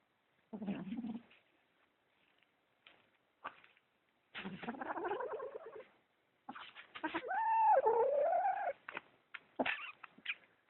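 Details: Kitten possessive over socks, making weird noises: short low growly bursts, then a loud wavering caterwaul-like yowl with stacked tones that rises and falls, separated by silent gaps.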